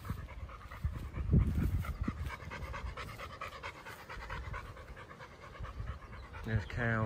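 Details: On a Sunday morning walk, Bear the chocolate Labrador Retriever pants in quick, fairly steady breathy bursts. A person's voice briefly cuts in near the end.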